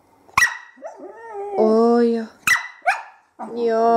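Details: Whippet puppy, a 20-week-old female, 'talking' indoors: sharp yips followed by drawn-out, wavering moaning vocalizations with a rich harmonic tone, some rising and falling, while a person speaks to her between sounds.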